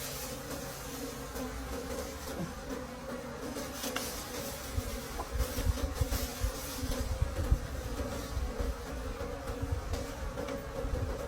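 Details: Late-season forest honey harvest with wild bees droning steadily throughout, overlaid by heavy low thumps and rumbling from handling, plus scattered clicks.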